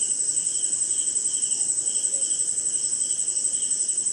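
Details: Crickets and other insects at night during rain in India, giving an unbroken high ringing trill layered with rhythmic lower chirps about twice per second.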